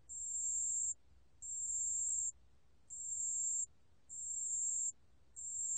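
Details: Pale bell cricket song from the National Institute of Biological Resources, 2020: a high, thin, steady ringing trill in bursts of about one second, broken by short pauses, five bursts in six seconds over a quiet background.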